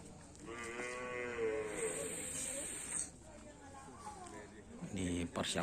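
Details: Racing bulls training for karapan sapi at an Asemanis field, Indonesia, ahead of an event: a sustained harmonic moo of nearly three seconds opens, followed by voices, clatter and loud bursts.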